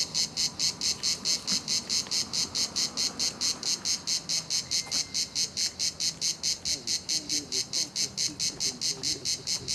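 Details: Chorus of cicadas at La Garoupe on the Cap d'Antibes in France: strong high-pitched grating buzz throbbing in regular beats about 140 per minute, steady throughout, with quiet low noise beneath.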